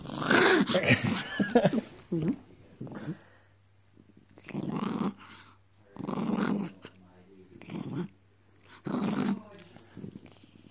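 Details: Indoor growling from a naughty Miniature Dachshund: harsh, throaty bursts about a second long, repeating every two seconds or so with quiet gaps between, a loud noisy stretch at the start and light speech in the room.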